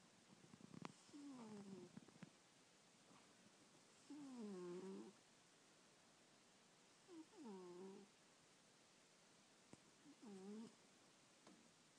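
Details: Old house cat asleep and snoring, three drawn-out falling tonal snores with layered overtones spaced about three seconds apart, a few light clicks early on, otherwise quiet indoor background.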